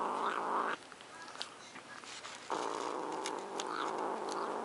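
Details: Guarding her macaroni and cheese, Luna the cat produces a harsh rumbling growl, a brief burst followed by a longer unbroken stretch after a quiet gap.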